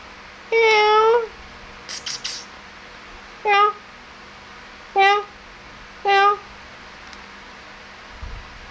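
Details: Kittens at play and mealtime give one long drawn-out meow, then three shorter, sharper meows spaced a second or so apart, with a few small clicks and taps in between.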